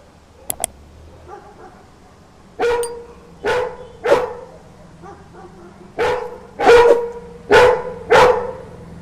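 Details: Yellow Labrador Retriever named Messi barking at night in response to street dogs barking; a series of sharp, mid-pitched barks, singly and in quick pairs, roughly every second, after a quiet start with faint clicks.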